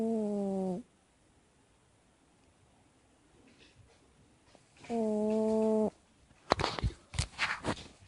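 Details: A sleeping cat gives two steady, buzzy, humming snores about four seconds apart, each lasting close to a second, followed by bursts of rustling and handling noise.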